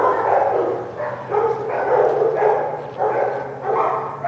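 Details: Dogs barking during an outdoor shoot, one of them a young female puppy; rapid bark bursts follow one another roughly every half second, with a steady low hum beneath.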